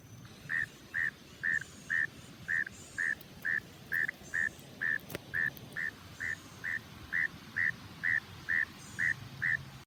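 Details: A frog hidden in grass gives short, clipped calling notes, repeated steadily about twice a second.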